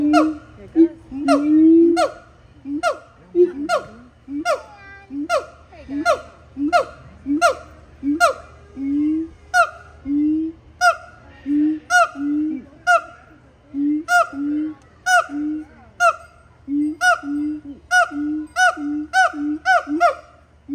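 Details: Siamang. Siamangs call with a run of loud, nasal, honk-like barks, each rising then dropping. The barks repeat roughly every half to three-quarters of a second and hold a strong, insistent rhythm throughout.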